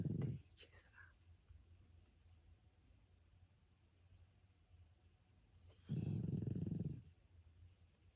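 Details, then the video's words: François the pug sleeping, one full coarse low snore near the end and the tail of another at the start, with faint whispering and a quiet gap between them. "храп мопса Франсуа"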